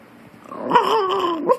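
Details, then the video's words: Indoors, Harry the Maltese, arguing with Hector, makes a long wavering whine-growl that rises and slowly falls, ending with a brief upward yelp. "Harry ( Maltese ) argues with Hector"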